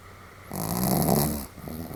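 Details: Sam, a Pomeranian, snoring somewhat heavily on 31 July 2015: one loud, rough, rattling snore lasting about a second, rising and fading, followed by a softer snuffling breath.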